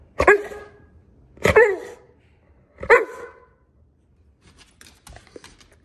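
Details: Black Labrador Retriever indoors barking on the command "speak" for a treat: three loud single barks about 1.3 seconds apart, then soft shuffling and clicks.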